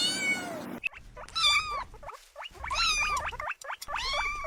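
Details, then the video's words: Kittens chasing butterflies outdoors on the grass meow repeatedly: a bright opening cry followed by several short, wavering calls that bend up and down in pitch, separated by brief silent gaps. "Adorable Kittens Stalking and Chasing Butterflies on the Grass – Meowing Sounds"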